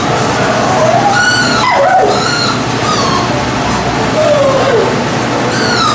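A Lhasa Apso gives high, drawn-out whines that slide up and down, mixed with short yips.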